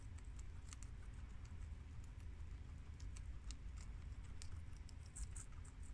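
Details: Domestic guinea pigs, two American males and a long-haired mini Yak and Abyssinian female, munch garden romaine lettuce: rapid dry crackling bites and soft leafy rustle, irregular clicks packed closely throughout.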